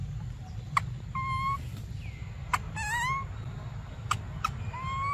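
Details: Young monkey Briar, desperate for milk, gives short, thin whistled cries, one quavering and one gently rising, between several sharp clicking taps. Steady low rumble throughout.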